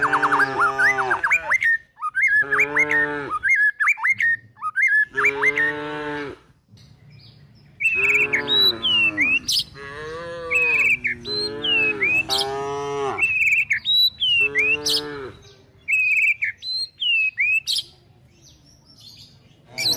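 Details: Calves and cows of a tame village herd, driven toward the forest as they search for food, give a series of about eight low, drawn-out moos, some overlapping, while small birds chirp and whistle steadily throughout.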